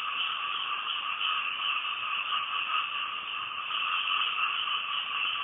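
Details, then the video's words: A dense night chorus of frogs recorded from a house in Thailand, a steady high trilling hum with no breaks. "Night Time Frog Sounds"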